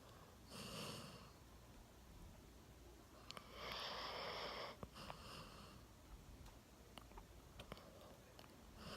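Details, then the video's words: Milo, a one-year-old Golden Retriever, sound asleep on a sofa with his chin resting on a table, snoring: breathy, rasping bursts recurring every few seconds, the loudest lasting about a second, in a quiet small room. "ゴールデンレトリバー いびきをかいて大爆睡"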